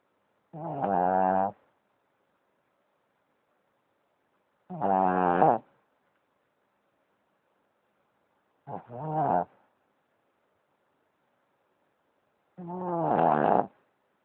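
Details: Boston Terrier snoring: four rasping, buzzy snores with stacked harmonics, each lasting about a second and spaced roughly four seconds apart, separated by complete silence.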